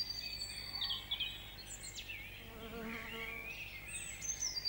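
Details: Tree bumblebee (Bombus hypnorum), also called new garden bumblebee, in UK woodland gives a low, droning flight buzz that rises briefly over a chorus of high bird whistles.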